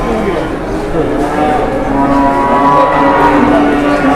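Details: Cattle just unloaded from a truck in Indonesia and being looked over by traders; one loud, sustained, steady low moo fills the stretch, with voices in the background.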